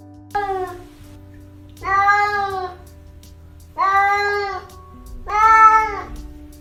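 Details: An unspayed female cat in heat caterwauls with drawn-out, plaintive, hollow yowls with an "ah-roo" quality, calling out to prospective male mates.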